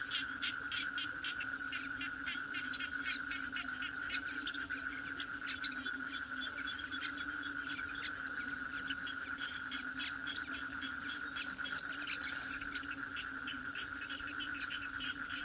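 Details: Toad cry: a steady drone holds a high pitch throughout, with a lower hum beneath, while dense rapid clicking pulses crowd the upper range and a few louder bursts come near the end.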